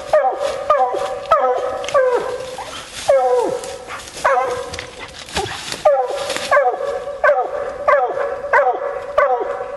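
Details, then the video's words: Female Bluetick Coonhound coon hunting, baying in a steady run of ringing, harmonic barks, each dropping in pitch at its end, about one or two each second, with brief pauses and some rustling between. "Coon Hunting With A Bluetick Hound"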